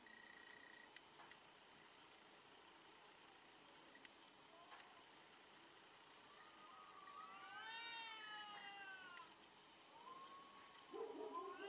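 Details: Fighting cats, faint at first, then a drawn-out yowl swelling and bending in pitch near eight seconds, followed by another shorter wavering howl and a louder rough cry at the end over steady background hiss.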